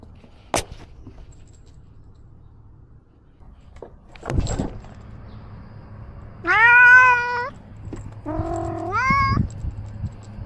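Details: Ros, a pet cat filmed from his own camera, lets out two rising meows in quick succession after a few clicks and a thud, over a faint background hum.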